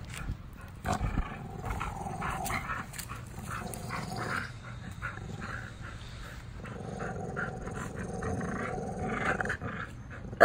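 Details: American Bullies Gusto and Big Girl, tri-color, in a play tug-of-war, not a fight; continuous low grumbling growl rising and falling, with a sudden loud noise at the very end.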